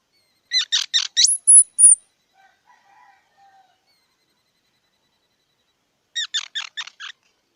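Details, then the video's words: Squirrel chirps sharply several times, then breaks into three loud, piercing whistled squeals, followed by faint low murmurs and, after a pause, another fast string of four or five squeaky chirps. "សំលេងដង្ហែន Squirrel 🐿️ Sound"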